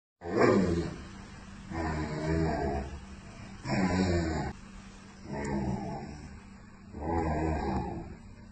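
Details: Two American Akita dogs in conversation: low, drawn-out groaning, rumbling vocalisations about one second long, repeated five times at irregular intervals about every one and a half seconds.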